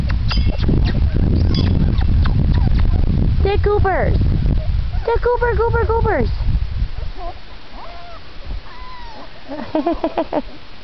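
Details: Whining pups at four weeks of age: a person talks over low rumble at first, then clear wavering whimpers come in bunched runs, later some softer single squeaks.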